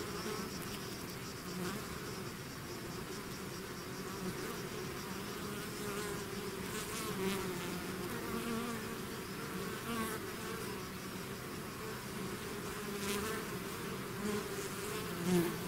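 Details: Bees swarming out of their hive produce a thick, continuous hum, individual buzzes rising and fading within the constant low drone over sixteen seconds, with a brief louder pass near the end.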